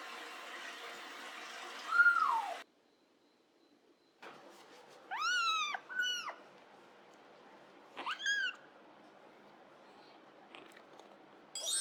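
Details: Pet cat at bath time: one meow, a pause, then short quick meows in pairs, with a faint hiss of running water at the start and a quiet room otherwise.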